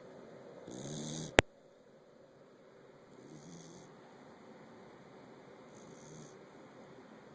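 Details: A corgi, passed out asleep and recorded close to its face, snores in slow, raspy breaths, each rumbling snore spaced about two and a half seconds apart.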